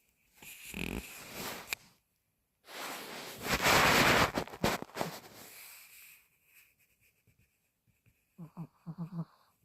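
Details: Taeyang, a sleeping 10-year-old dog, snores with long, harsh, breathy rasps, two strong inhalation-like surges, ending in a few short, buzzy snorts close to the microphone.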